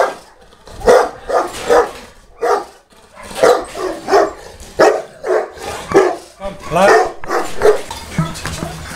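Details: Boerboel at the Delatro Boerboels kennel, recorded 30 October 2013, giving a run of heavy, resonant barks in quick succession, some doubled, while voices are heard between them.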